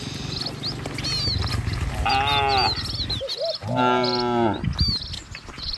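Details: Cattle in a herd driven by a herder along a village road among trees and rice fields, lowing in long, rich harmonic moos, two main calls overlapping, with chirping birds in the background.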